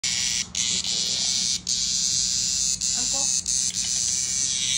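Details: Cicada in Japan, meeting a playful cat: a loud, steady high-pitched buzzing drone fills the clip, broken by a few brief dips and pauses, with faint low sounds beneath.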